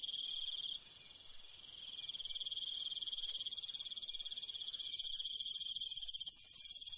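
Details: Countryside crickets at night keep up a continuous high pulsing trill. Partway through, an even higher, hissing, buzzy layer joins and grows louder toward the end, thickening the chorus.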